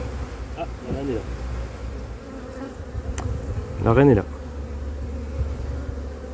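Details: Continuous low droning of a drone-laying honey bee colony in cold 2024 weather after queen matings on splits failed, the even hum broken by two short bursts of human speech around the first and fourth seconds.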